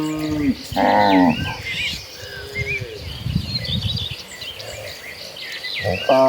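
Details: Cattle moving in a herd toward green pasture, one brief loud moo early and the start of another at the close, with birdsong and shuffling sounds of the herd in between.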